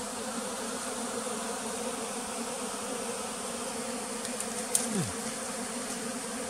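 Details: Bees at a bee farm in the flooded forest of West Tonle Sap Lake, Cambodia: a steady, dense buzzing hum throughout, with a brief louder sweep dropping in pitch near the end.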